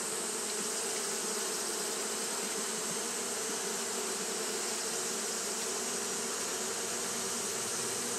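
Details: Steady fanning drone of Japanese honey bees during hot weather, a thick unchanging hum layered with a strong high hiss, no pauses or other voices.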